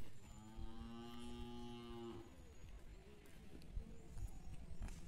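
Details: Twelve-month-old Hallikar bulls out on a walk; one bull gives a steady, drawn-out moo lasting about two seconds, rich and harmonic, then fades into rustling, footsteps and low background noise.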